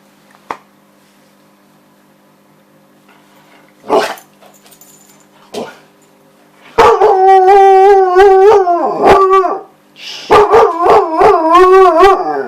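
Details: Husky; vocalizing call; asking for her ball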